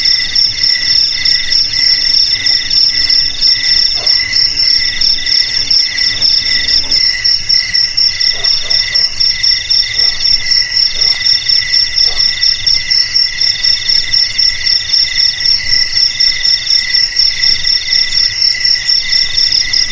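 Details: Cricket chorus used as a rat deterrent for homes, garages, warehouses and paddy fields: a bright, very high continuous trill over evenly pulsed chirps about four per second, with a faint low hum fading after seven seconds.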